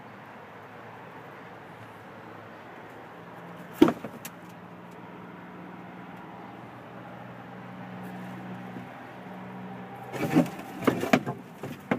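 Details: A steady low engine hum with a sharp knock near four seconds and a burst of clattering, like keys or a door, toward the end; no animal voice stands out.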